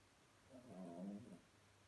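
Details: Small Chihuahua fast asleep and dreaming, snoring softly: one faint, drawn-out rasping breath swelling and fading over about a second in a quiet room.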